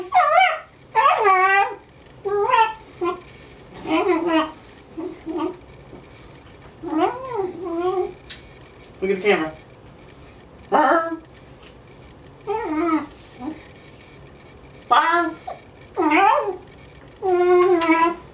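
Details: A pet dog named Odie howls along when a person howls, giving wavering, rising and falling tonal howls in repeated bursts of about a second, interleaved with a person's imitation howls, indoors.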